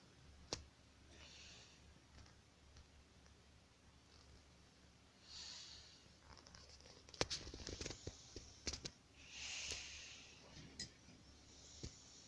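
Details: Keano, a little puppy, asleep indoors, snoring with soft, hissy breaths that swell and fade about every four seconds, with scattered sharp clicks and taps in the room.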